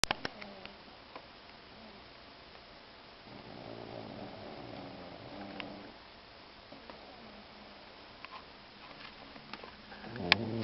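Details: Two-year-old male Boxer mix dog snoring; a single drawn-out rumbling, pulsed snore in the middle, with quiet room noise and scattered small clicks before and after.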